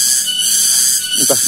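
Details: Cicadas (tonggeret) in a rural village of Ciamis, West Java, Indonesia, fill the afternoon with a steady piercing high buzz that waxes and wanes, while a man's voice briefly speaks near the end.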